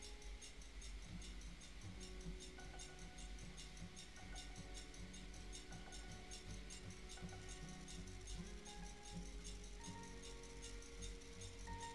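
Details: Steady instrumental music with tinkling, tambourine-like percussion plays throughout, and no animal voice is heard.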